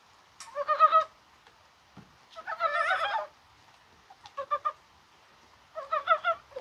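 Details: Mountain frogs calling on a mild, spring-like rainy 21 January, possibly while spawning: four short bursts of rapid, pulsed, nasal croaks, each about half a second long, separated by quiet gaps.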